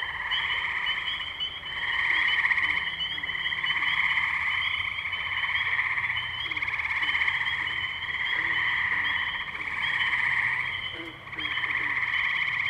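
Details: Spring wetland chorus of tree frogs at Firestone Park, Columbiana, Ohio, May 6, 2023, captured on a Zoom H2n: many overlapping high, buzzy trills form a steady wall of sound, rising in loudness around the second mark, with occasional low croaks.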